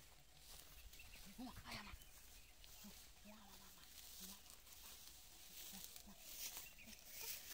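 A wild boar gives short, low grunts, repeated irregularly, over a steady hiss of background noise.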